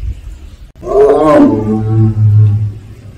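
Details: Captive Siberian tiger, also called Korean tiger, at Seoul Grand Park zoo, giving its 'a-ung' call: one loud, harsh, moaning roar of about two seconds that sinks into a low, steady rumble.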